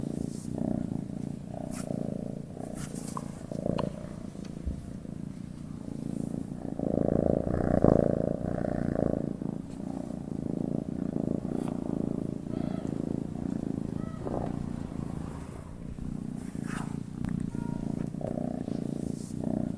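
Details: Sleeping cat giving a gentle, continuous low purr, a dense rumbling drone that swells slightly in the middle and stays steady throughout, with occasional light rustling and small clicks.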